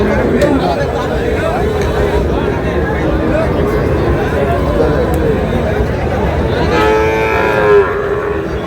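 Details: Sahiwal bull calf at a cattle market in Rajbari, bought by a farmer; a drawn-out harmonic moo near the end rises over constant crowd chatter and market noise.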